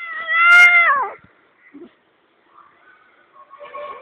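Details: A pet cat shouting a loud meow: one drawn-out, strained wail that holds level then drops sharply at the end, followed by quiet rustles and a faint second cry.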